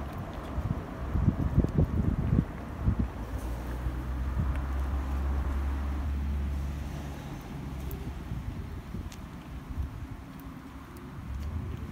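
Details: Low rumbling traffic and wind noise on a street, with no animal voice heard.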